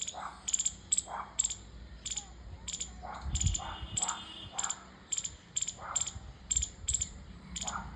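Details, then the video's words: Squirrel giving a run of shrill, clipped chirps, about two per second and evenly spaced, with faint low humming and soft background sounds between the notes. "Squirrel Chirping Sound"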